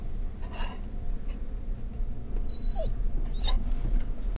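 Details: Scottish Terrier on a car ride in October 2010, reacting to stimuli inside and outside the car; a brief falling whine near the middle and a few short squeaky sounds over a steady low engine rumble.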